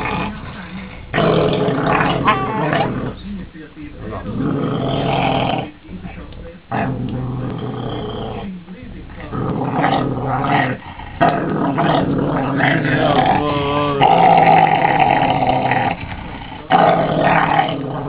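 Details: Broček, a female pet Cesky Terrier at home, 'talks' about her day: drawn-out growly, moaning sounds that rise and fall in pitch, with a wavering stretch near the end, while people speak over and around her.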